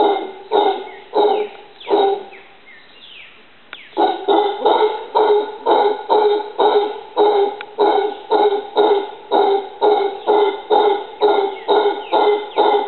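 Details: Howler monkey calling from a tree in a yard in Costa Rica: hoarse, harmonic barks repeated about twice a second in a steady run, with a short break near the third second.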